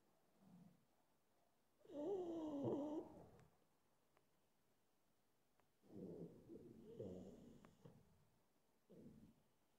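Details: A sleepy pug considering a nap makes wheezy, grumbling snorts. One long rough burst has a wavering whine inside it, followed by softer snuffles and a short snort at the end.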